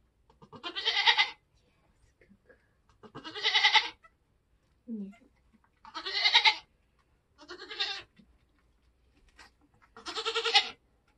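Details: Nigerian Dwarf goat giving birth on a homestead in kidding season, letting out five strained, quavering bleats at roughly two-second intervals, each loud and rasping, with a brief soft low sound in between.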